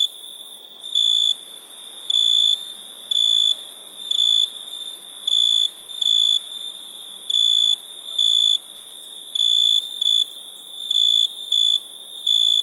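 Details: Crickets: a busy sequence of high, ringing chirps, some paired closely, arriving every half second to second, over a steady background drone of more crickets.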